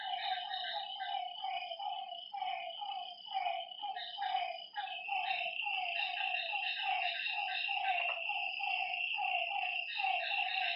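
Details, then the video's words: Frogs at a lake at night in a lively chorus: stuttering, pulsed croaks in quick irregular bursts, some overlapping, with a bright insect trill running throughout. "Lakeside night creatures and frog sounds"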